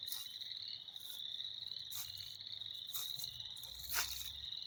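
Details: Frogs chorusing in spring, a steady shrill high-pitched ringing from many animals, interrupted by several loud rustling crackles close to the recorder.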